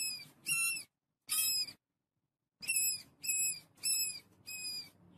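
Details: A family of rats feeding on wheat; sharp, harmonically rich squeaks in short bursts of about half a second, given in uneven clusters with brief silent gaps, over a faint low rustling.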